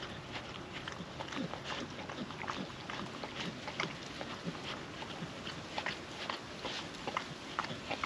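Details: Wet food eaten by a happy female puppy from a food trapper mat, windy day; busy bursts of chewing, slurping licks and sharp smacks come in clusters over a soft background hiss.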